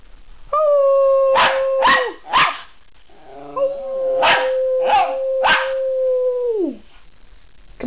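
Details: Elmo, a pet miniature schnauzer singing for an audience, holds two long steady howls, the second lasting about three seconds and sliding down at the end, broken by sharp percussive claps or knocks.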